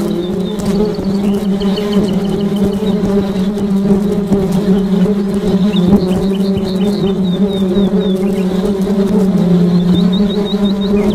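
Honey bees give off a steady, low, droning hum, with faint bird chirps high above.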